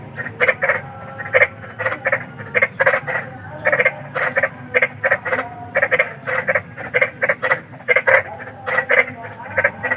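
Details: A large frog in the wild gives harsh, grating, rasping croaks at night in rapid irregular clusters, each note short and buzzy, repeating almost without pause, over a thin, faint, steady high-pitched insect drone.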